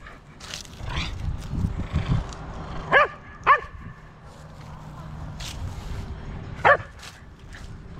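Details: On a university campus at the six o'clock chimes on Saturday, October 3, 2020, a Corgi gives brief, high yelping barks a few seconds apart over soft bell chimes and outdoor background noise.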